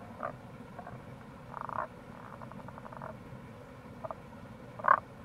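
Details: Tago's brown frogs calling in April by the Kamo River near a gorge in Itoshima, Fukuoka, Japan: short mid-pitched croaks and a rapid pulsed rattling series from several frogs, over a steady low rushing stream background.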